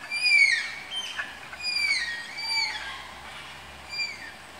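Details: Malayan tapir pairing at Tama Zoological Park's tapir enclosure: a series of about five high, piping squeals, each a short whistle curving downward, spaced roughly a second apart and fading toward the end.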